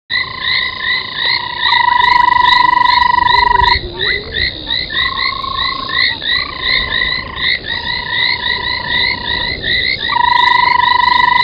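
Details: Frogs calling at night around 03:40 on 25 January 2021 at an old foam nest by Gowrie dam waterhole, Djuma Game Reserve, Sabi Sand, South Africa; dense overlapping chorus of quick rising chirpy croaks, broken by long steady mid-pitched tones lasting several seconds.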